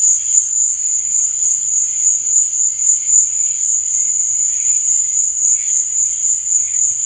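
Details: Continuous shrill cricket trilling at night, level and unchanging, with softer pulsed chirps rising and falling in the background.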